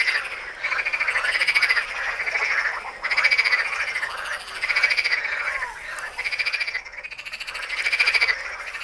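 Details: Frogs of the Tyre Necropolis, Lebanon, croaking in rhythmic waves: bursts of fast, buzzy pulsed calls roughly every second, several frogs overlapping in a loud, raspy chorus.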